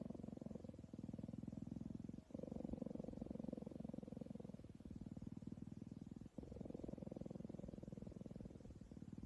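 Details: Cheetah purring while cuddling with a person. A steady, low, rapid rumbling pulse runs continuously through the clip, broken by two brief breath pauses.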